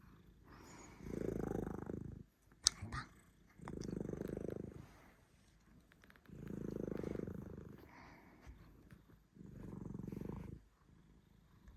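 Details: A cat whose snoring has turned into purring: four long, rumbling low purr swells, each lasting about two seconds, separated by short quiet breaks, with a brief click near the start.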